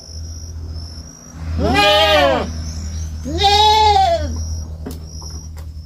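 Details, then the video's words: A young goat on a farm bleats twice, two drawn-out wavering cries about a second apart, each rising then falling in pitch, over a steady low hum and a thin high constant tone. "Som de fazenda e cabrito berrando"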